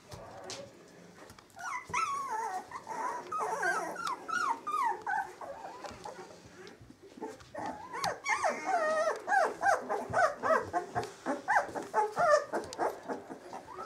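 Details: Samoyed puppies, 18 days old, squealing and whimpering in a chorus of high, wavering cries, rapid and overlapping, a quieter stretch midway before a louder run of short repeated yelps.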